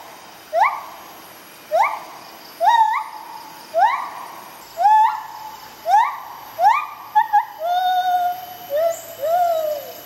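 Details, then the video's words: White-handed gibbons, a rescued rehabilitating pair, duet in the jungle during morning singing. Loud upward-sweeping whoops come roughly once a second, then quicken and close with longer, wavering rising slides. "White Handed Gibbons, Bella & Dexter Duet"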